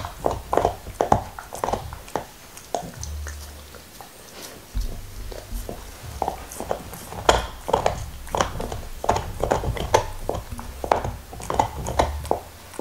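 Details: A black Labrador named Nixon working on his favourite beef bone, 2019: steady gnawing with brittle clicks and crunches. A low rumbling thump runs beneath, and bursts of bites grow denser toward the end.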